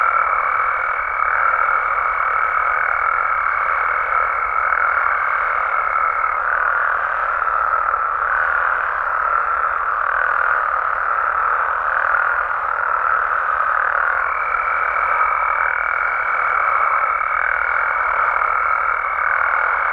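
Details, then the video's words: Many frogs and toads in Mexico call together after dark, producing a steady, dense croaking hum; a pure high ringing tone holds for the opening six seconds and resumes from midway on. "Mexican Frogs & Toads Sounds"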